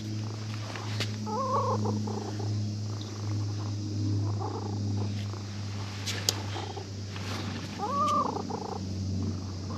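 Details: At a fishing port, a cat woken from sleep is petted by a child visiting to fish and purrs with pleasure: a strong, continuous low purr, broken twice by short arched voice-like tones near the start and end.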